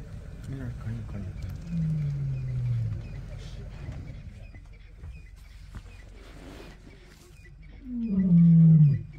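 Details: Male lions marking territory in Kruger National Park: low, deep moaning calls, one drawn out near the start and a louder falling groan near the end, over rumbling background.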